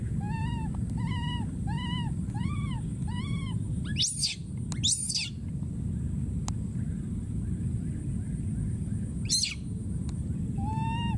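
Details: Wild baby monkey calling for his friend: six arched, harmonic-rich whistled coos in a steady series. Two sharp, harsh screams follow, then a later scream and one more coo over a constant low rumble.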